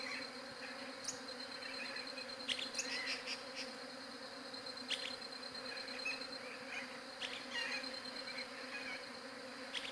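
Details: Even, sustained bee buzzing taken on a Galaxy J7 Prime 2 phone, a constant low hum with rich overtones, with short bright chirps and occasional sharp clicks sprinkled over it.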